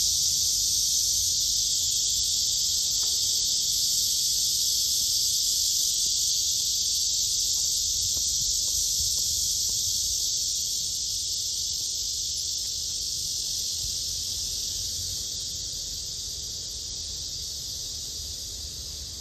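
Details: Blackish cicada (말매미) with a loud, continuous high buzz that stays steady for about fifteen seconds, then gradually softens toward the end; faint low rumble underneath.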